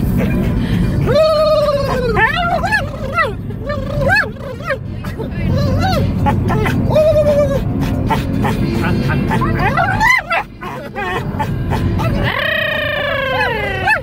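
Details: Dog in a car giving a run of rising-and-falling yodel-like whines with rich harmonics, a long arched howl near the end, steady road and engine rumble underneath.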